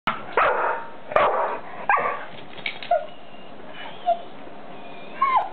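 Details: Pet dog barking and whining: a few sharp broadband barks in the first two seconds, then short high whistled whines at irregular intervals, one rising and falling near the end.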